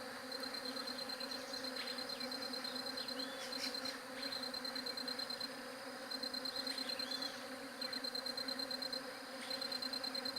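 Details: Bees hum steadily on a low, layered drone, recorded with a J7 Galaxy Prime2 phone; a sharp pulsed ticking insect sound comes and goes in high bursts, with a few faint chirps over it.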